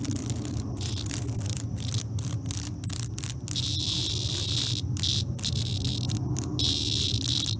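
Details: Cicada in a life and death struggle with an attacking European hornet: harsh, buzzy bursts of high sound that start and stop in ragged pulses with short silent breaks, over a steady low rumble of background noise.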